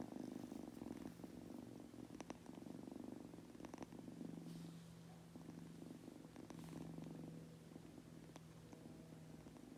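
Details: Munchkin kitten named Goku, a household pet, purring while drifting off to sleep; a soft, continuous low rumble pulsing steadily throughout, joined in the second half by a faint steady low hum, in a quiet indoor setting.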